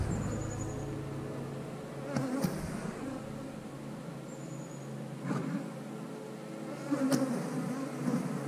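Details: Humming of honey bees around an eight-frame hive being checked by a beekeeper: a continuous, even drone with stacked tones and occasional thuds and brief high zips from passing bees.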